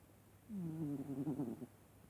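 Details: A single snore from the sleeping cat Vaska: a low, buzzy, droning breath just over a second long that starts smooth and turns rougher and fluttering toward its end, over a quiet room.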